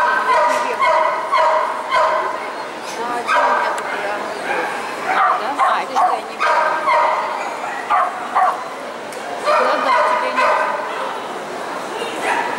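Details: Poodle Lyalya during qualifying competitions at the CACAG "Zooshow in Gavan" dog show, 29 March 2015; bright, high barks come in quick runs of three or four, repeating throughout, with crowd murmur and talking behind.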